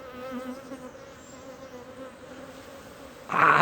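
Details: Steady droning hum of a large wild honey bee swarm as it is removed from a tree hole and moved into a modern hive in the Timang jungle, Manang, Nepal; the buzz ends in a loud rustling burst.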